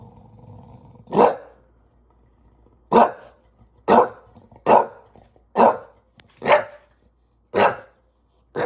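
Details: Frustrated bulldog barking at a ladder, sharp harsh barks repeated roughly every second in a steady run of about eight, with a faint low rumble before the first.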